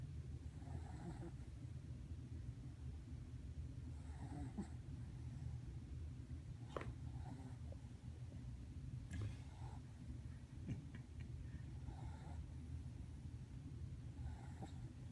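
A French Bulldog puppy snores softly, with low rumbling breaths repeating every few seconds.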